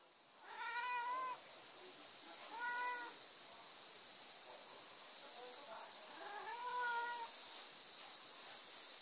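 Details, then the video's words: Cats and kittens calling: three clear, drawn-out meows, the first and last longer and slightly rising then falling, the middle one shorter, spaced a few seconds apart over a steady hiss of background noise. "Funny Cats Kittens Meow"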